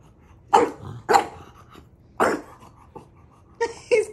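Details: Small dog bothering his bigger brother: three quick loud barks in the first two and a half seconds, softer yaps after, then a higher, more tonal whining bark at the end.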